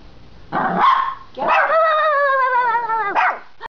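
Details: Puppy, a female, reacting to a noise in the backyard from the back door: one sharp yap, then a long wavering howl-like whine held over a second, ending in a short bark.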